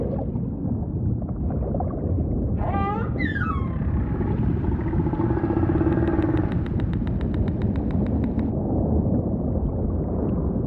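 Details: Humpback whale song with a sharp burst of rapid rising upsweeps, a faint mid moan, then a long train of quick regular pulses for about three seconds, all over constant low ocean rumble.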